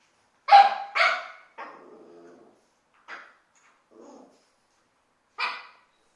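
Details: A Boxer dog at home gives two loud, harsh barks, then softer grumbling whines and a final sharp bark.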